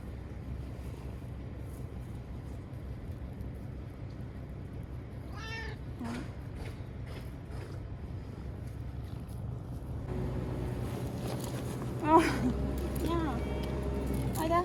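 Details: Ear-tipped former stray Chanta, once called Nyaa, meowing while caught and moved into a bathroom ahead of Typhoon No. 10 in September 2020; faint meows near the middle, then several louder wavering cries toward the end over steady background hum.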